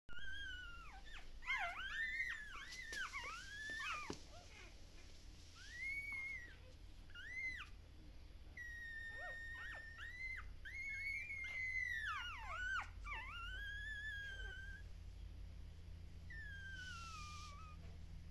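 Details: Several puppies at a Shiba Inu and Samoyed breeder in the Netherlands howl while their mother is away. High, wavering whines rise and fall in overlapping bursts, and some voices slide steeply up and down, with a steady low hum underneath.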